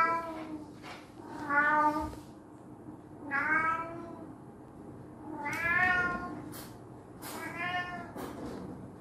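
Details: Indoor cat meowing after being scared by his brother; four drawn-out, harmonic-rich meows, each rising then falling, spaced roughly every two seconds, with a steady low hum underneath.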